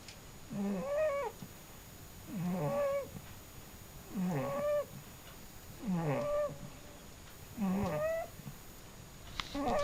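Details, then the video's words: A sleeping cat snores in a steady rhythm. Five squeaky, harmonic breath sounds rise and fall, about one every two seconds, in a quiet room. "cute snoring cat"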